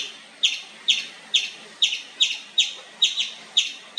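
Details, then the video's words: Loud, nonstop chirping from an Indian palm squirrel: piercing, clipped high notes that drop sharply, repeated briskly, roughly nine in four seconds, fairly evenly spaced, over a quiet hissy background. "Nonstop Loud Squirrel Chirping sound"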